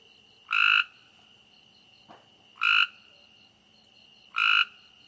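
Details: Frog croaking at night: three loud, short, rasping croaks spaced about two seconds apart, each a brief harsh burst, over a steady high continuous insect-like trill in the background.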